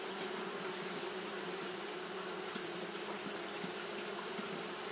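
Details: Steady fanning buzz from Japanese honey bees on a hot day, a dense drone with clear hum bands and brief brighter ticks of passing bees scattered through it.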